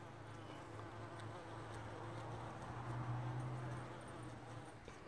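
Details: A bumblebee on a John Davis Explorer rose in Grande Prairie, Alberta, Canada gives a low, steady droning buzz that swells slightly and then eases off.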